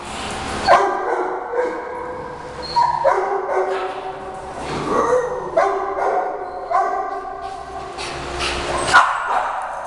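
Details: Shih Tzu dogs Heidi and Shata in a playful pack squabble, barking at each other as Heidi tries to protect Frida, a newly arrived Yorkie; sharp, high, harmonic yips and barks, about ten bursts, roughly one per second, overlapping.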